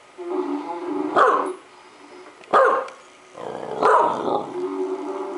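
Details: Pet dog Dodger barks at a recording of himself snoring: rumbling growls run between three loud, sharp barks roughly a second and a half apart, indoors.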